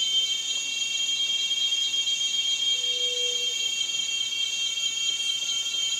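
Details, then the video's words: Shrill cicada buzz, steady and unbroken, with many high ringing tones layered together and a soft low hum-like note briefly in the middle. "Som de cigarra - Barulho da Cigarra"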